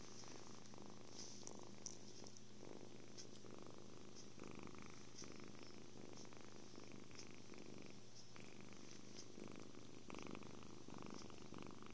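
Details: Happy kitten purring amid cuddles, food and sleep: a steady low rumbling purr runs through the whole stretch, continuous and even, with faint soft rustles and light clicks above it indoors.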